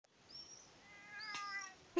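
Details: Domestic cat meowing outdoors in a garden, searching for its owner who left it behind; two drawn-out, harmonic meows, the first short and high, the second longer and level, followed by a brief knock.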